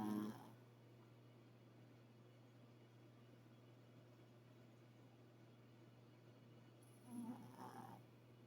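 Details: A dog snores in its sleep, giving two breathy snorts, one at the start and one near the end, separated by about seven seconds of quiet room hum.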